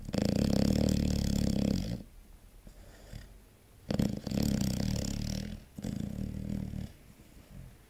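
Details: A six-month-old chocolate Labrador Retriever asleep indoors, snoring loudly in long, low, buzzy rumbles lasting about two seconds each, three main bouts with soft breathing gaps between them.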